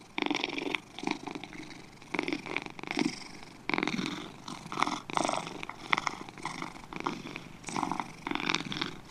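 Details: Two domestic cats purring, a rough pulsed rumble swelling and fading in breath-paced bursts about every second, with brief quiet gaps between surges; no other sounds stand out.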